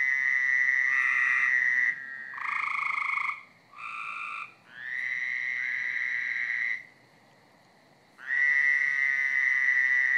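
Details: Backyard frog chorus on a Friday night: several frogs give long, even, reedy trills, some over two seconds, with others overlapping at different pitches. One silent pause comes before a loud trill resumes.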